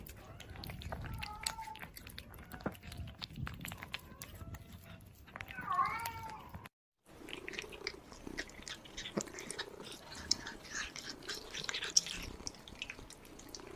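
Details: Kittens eating, giving several short arched mews early on and a louder cluster of bent, rising-falling meows near six seconds, followed by steady wet chewing and crunching of food.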